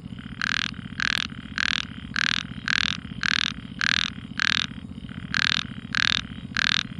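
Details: A frog calls at night in the quiet with short, raspy bursts repeated about twice a second.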